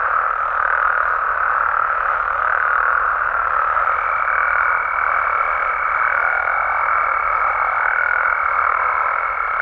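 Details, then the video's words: Mexican frogs and toads calling at night: a dense, unbroken chorus of overlapping croaks and trills, with a thin steady whine joining halfway through and holding to the end. "Mexican Frogs & Toads Sounds"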